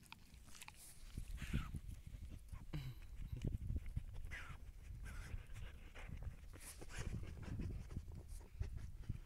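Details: Siberian Husky on a calm walk, heard as steady rough panting and breathy snorts with faint whines, over a low rumbling background.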